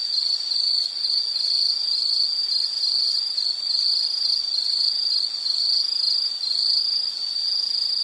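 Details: Steady high, ringing insect trill from a calming nature sounds recording, pulsing rapidly without pause, a soft hiss beneath.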